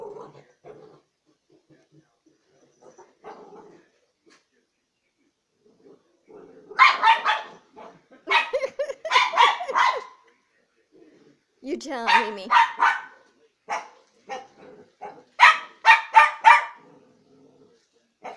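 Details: Neapolitan Mastiff, an almost 200 lb male, barking while leg-wrestling in play with his owner; harsh, broadband barks come in quick clusters separated by quiet gaps, with low grumbling sounds between bursts.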